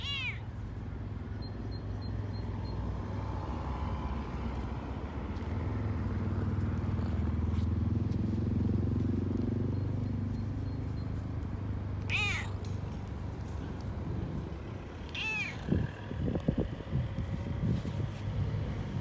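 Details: Excited on his beloved walk, Frodo the Toyger meows at the start and then twice more later, each call short and arched, with a low continuous rumble and a few rustling knocks near the end.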